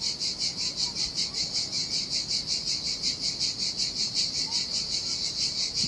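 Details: Cicadas in summer heat along a desolate Sardinian beach: relentless high-pitched sizzling, rhythmically pulsing around two and a half beats per second, with a faint short chirp or two in the background.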